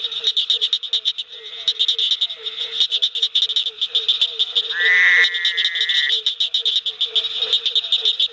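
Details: Barking tree frog (Hyla gratiosa) at night in a pond at a Mississippi field station gives low, hollow, rapidly repeated calls within a busy frog chorus.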